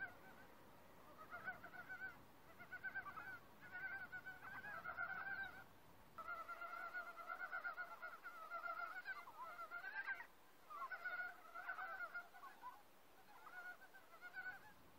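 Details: Forest frogs join in chorus after a silence caused by people nearby. Bursts of rattling, harmonic croaks alternate with short gaps, one call sliding upward near the ten-second mark.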